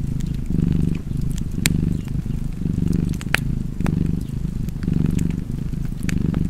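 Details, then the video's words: Relaxed domestic cat purring, a deep rumbling hum swelling and easing with each breath at about one cycle per second, with sharp fireplace crackles and pops scattered throughout. "Cozy Purring Cat ASMR / Kedi Mırlaması"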